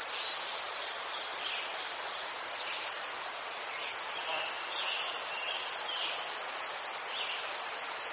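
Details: Ukrainian crickets near chrysanthemums keep up a continuous shrill trill of rapid pulses, steady and unbroken for the whole stretch, with scattered quieter chirps lower down and a constant natural hiss.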